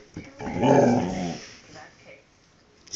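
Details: Domestic dog 'talking': a drawn-out, grumbling vocalisation of about one second with rich harmonics, wavering up and down in pitch like a moaning growl, then a softer brief grumble and quiet.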